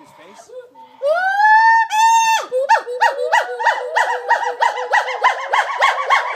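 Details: Gibbons at the Gibbon Conservation Center sing: two long, clear whoops climbing in pitch, then a fast run of short rising and falling hoots, about three a second.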